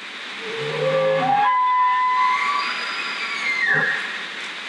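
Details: A bull elk in Great Smoky Mountains National Park bugles, a low groan climbing into a long, high, piercing whistle, announcing his presence to warn other males in the area.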